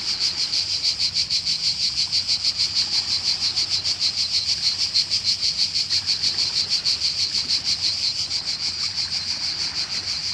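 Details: High, rasping cicada song from a Croatian summer setting, strongly pulsed in an even rhythm of about three beats per second, continuous and loud throughout, with only a faint low hum behind it.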